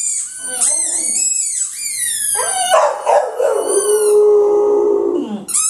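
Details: Dog named Butch howling in response to his loud squeaky ball, as if another dog were trapped inside; rising and falling howl phrases with shrill high squeaks, ending in a long descending wail.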